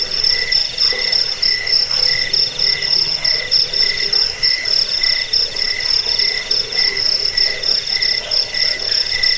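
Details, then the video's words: Jangkik, the local name for a cricket, offered as a rat repellent, sleep aid and master sound for training birds; piercing, evenly pulsed chirps repeat without pause over a faint low rumble. "Suara jangkik pengusir tikus pengantar tidur"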